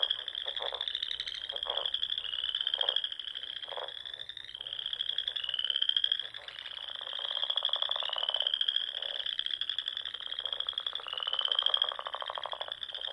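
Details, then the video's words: Frogs singing in spring at dusk on the small lakes and ponds of Nebraska's Sandhills; many callers form a steady high trill, with rising sweeps repeated about every one to two seconds and lower rattling croaks beneath. "RELAXING SOUNDS OF FROGS"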